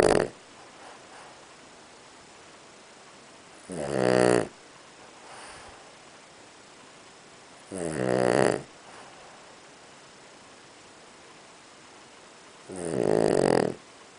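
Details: Sleeping Boston Terrier snoring deeply, three rough, buzzy snores about four seconds apart, each lasting under a second, with quiet breathing between them in a small indoor room.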